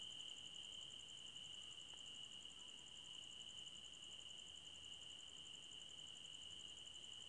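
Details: Nighttime forest crickets keep up a constant shrill trill layered under a fast, pulsing higher chirr. A faint brief tick appears near two seconds, with soft hiss beneath.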